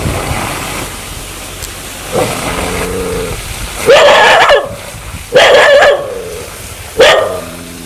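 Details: Aggressive dog said to want to bite, starting with a rough low growl-like sound, then three loud harsh barks about one and a half seconds apart, with background noise throughout.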